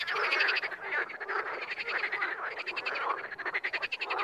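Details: Several wild frogs croaking together, quick rattling pulses overlapping in a chorus that grows choppier and more broken toward the end.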